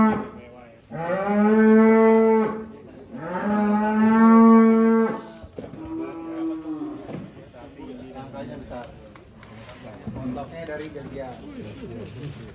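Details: Belgian Blue cattle at an extreme-class cattle contest at Bintang Tani Farm, Indonesia: two long, deep, droning moos of about two seconds each, one after the other, followed by quieter voices and background music.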